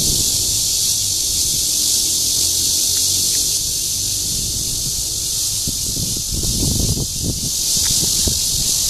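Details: Guangming Park, Zhongli, Taiwan, June 2013: a red-veined bear cicada's courtship song, a sustained high metallic buzz, with rustling and handling noises growing in the second half.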